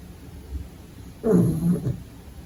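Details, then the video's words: Cute pug puppy sleeping, breathing quietly before one deep, throaty snore of about half a second. "Funny Sleeping Snoring Dog Video"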